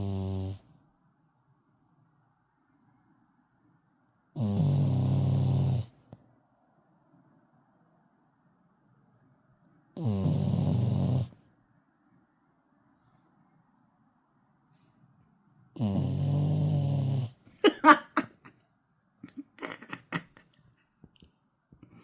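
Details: Sleeping dog snoring indoors: four long, low, rumbling snores, each about one and a half seconds, coming roughly every six seconds with quiet breathing gaps between, followed by brief scratchy rustling near the end.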